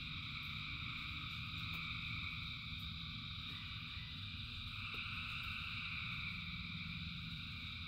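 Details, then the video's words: Many frogs sing together during rain, producing a steady, pulsing high trill chorus in stacked layers above a dense low patter of rain. "Frogs in Rain 2 Hours of Frogs, Thousands of Frogs Singing"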